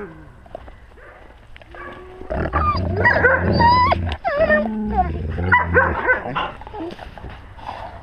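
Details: Wolves with their pack, filmed at wolf level on a GoPro; after a quiet start, overlapping high, wavering whines and yelping cries rise and fall, with low rumbling handling noise beneath.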